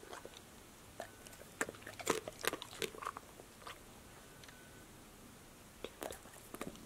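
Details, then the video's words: Indoors, female dog Passport bites and crunches fruit and vegetable snacks, among them apple slices, lettuce, sunflower seeds in the shell, tomatoes and green beans; a cluster of loud crisp crunches, a lull, then a few more bites. "DOG eats crunchy snacks ||ASMR|| (intense crunch, mouth sounds, whispers)"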